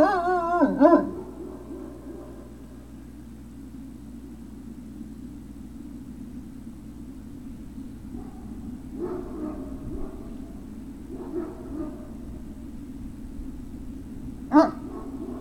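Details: Great Dane puppies, recorded on 03-06-2019, give a sharp harmonic yelp at the start and another near the end. Between them come faint, soft whimpering murmurs over a steady low background hum.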